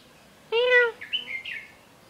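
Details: Pet cat Mang Mang, a six-year-old female, lets out one short, clear meow during a lazy day, followed by a few faint chirps.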